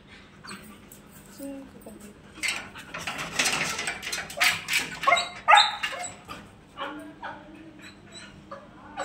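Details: Billu, a female Siberian Husky, reacts to her owners after time apart with a jumble of short, sharp whines and yips in irregular bursts, louder in the middle. A steady low hum runs underneath.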